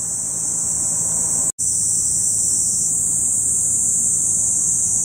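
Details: Cicadas sing on Mt. Ogon, Hiroshima, Japan, on a hot, sunny morning, 15 July 2018, a week after heavy-rain landslides. A dense, continuous high-pitched buzz is broken by one brief dropout; the soundtrack also includes added background music with cicada sounds.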